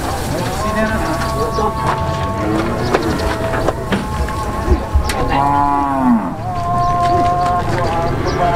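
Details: Cattle jumping onto a truck: several cows low overlapping, drawn-out moos with steady tonal layers, one deep moo sliding downward near the sixth second, amid clattering knocks and a constant background rumble.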